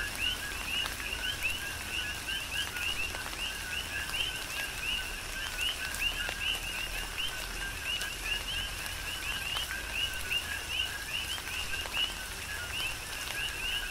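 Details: A dense chorus of coqui frogs on Hawaii's Big Island in tropical rain, overlapping two-part ko-kee chirps from many frogs at once, the upper note sliding upward, over continuous rainfall and dripping.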